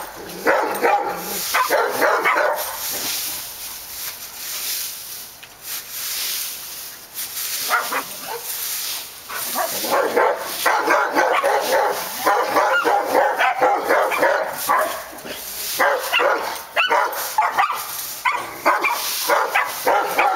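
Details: Barking dogs at Park Drive: a burst of rapid barks, a quieter lull of several seconds, then a long run of dense, overlapping rough barks from more than one animal, with constant hiss behind.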